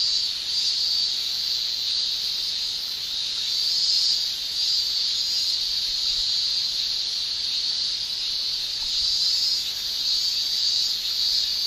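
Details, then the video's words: Summer chorus of male Japanese cicadas singing with their tymbals in Japan, a continuous piercing high shrill that rises and falls slightly in strength every few seconds, with no pauses and no other distinct sounds. "Japan Summer Cicada Shrilling"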